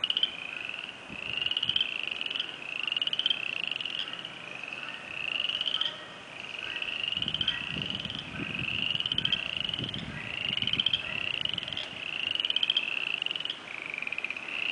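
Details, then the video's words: A chorus of spring peepers, first heard this year at the start of spring, giving shrill, rising single peeps over and over. "Spring Peepers"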